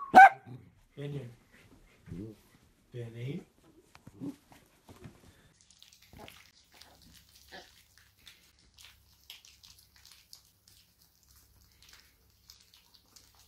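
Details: Playful miniature dachshund indoors: one sharp, loud bark opens, followed by several short, low growly bursts over the next few seconds, then faint scattered noises and near quiet.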